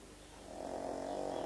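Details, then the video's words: Pet pug Frank, sleeping, draws a snore that swells from quiet into a gravelly rattle for about a second before stopping abruptly. "Frank, the snoring pug"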